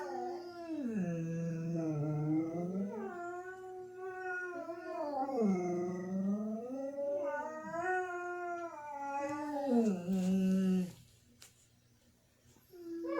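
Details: Pet dogs howling at home while the owners were away at the store: sustained harmonic howls dipping low then rising in repeated wavering arcs, with a rustling burst near the end before a short silence.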